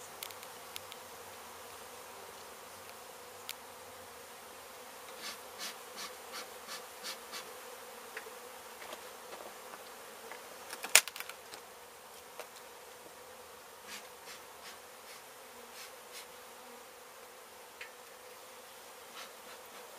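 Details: Honey bee colony being relocated from a demolished home in Mission, Texas: a sustained, high, airy buzz with frequent tapping clicks and one loud knock near the middle.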